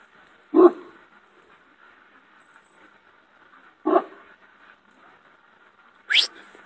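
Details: Shepherd dog giving single deep, loud barks spaced about three seconds apart, the last one higher and more strained, over a faint steady background hum.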